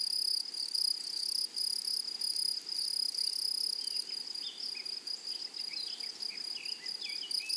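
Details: Grasshoppers singing in a flowery meadow: a thin, steady, high buzzing trill pulsing about twice a second, accompanied by scattered short bird chirps in the second half.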